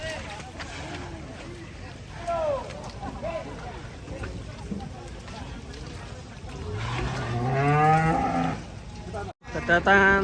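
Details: Agitated Ongole cattle unloading from a truck in Indonesia, giving a long loud moo late on after quieter short calls, amid crowd voices and background noise.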